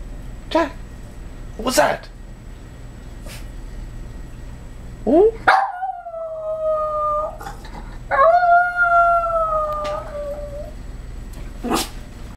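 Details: Excited Yorkshire Terrier greeting its owner's arrival with two sustained, level howls of about two seconds each, preceded and followed by scattered short yips and thumps, with a person's voice nearby indoors.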